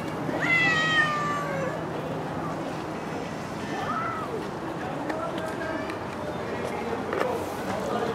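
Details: Stray cat living on the street gives one drawn-out meow that falls slightly in pitch near the start, followed by quieter urban background noise, faint clicks and people speaking Turkish.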